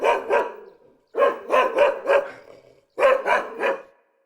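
A dog barks nine times in three quick bursts of two, four and three. The barks are sharp, mid-pitched and clear, with nothing else heard.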